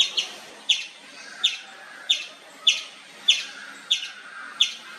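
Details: Indian palm squirrel calling nonstop in the wild, giving sharp high chirps about every two-thirds of a second, each a bright broadband chip with a short trailing buzz, seven in a row over a faint background hum.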